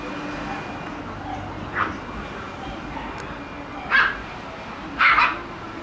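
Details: Shiba Inu puppies romping indoors in a room during rough play: three short, sharp yipping barks spaced one to two seconds apart over a steady hiss of room noise.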